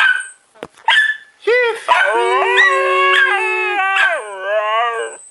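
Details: Siberian Husky named Chief taught to sing on cue, giving a drawn-out wavering howl with rich harmonics that rises and bends, after short yips, while a person praises him with "good boy" over the singing.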